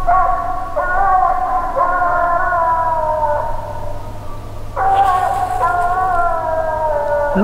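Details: Phrogger pup, six months old, coming treed at night on its fourth night out: loud, sustained howling bawls that slide slightly downward, a fresh cry bursting in near the middle, over a low steady hum.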